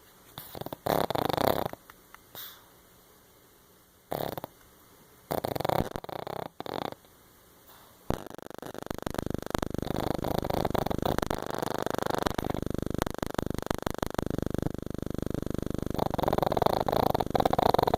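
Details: A Pekingese snores loudly while asleep, with rough, rattling breaths that become a continuous rumbling drone.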